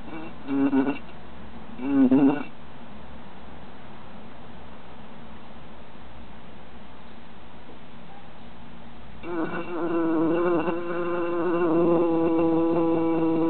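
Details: Bees held in a jar during summer give two short buzzing bursts, fall almost silent for several seconds, then resume a sustained, wavering hum that grows louder toward the end.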